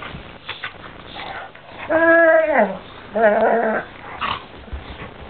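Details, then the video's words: Doberman Ike and Labrador Cibo fighting: two loud, harmonic, howl-like whines, the first sliding downward over about half a second, the second shorter and flatter, set against quiet scuffling in a small room. "doberman fights labrador (ike vs cibo)"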